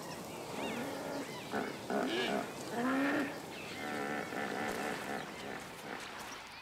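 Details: Several territorial hippos, bull's river territory, give deep, throaty honking grunts that swell and dip in pitch, some drawn into moaning rises, overlapping in quick succession as a thirsty lion pride approaches in heat over a hundred degrees.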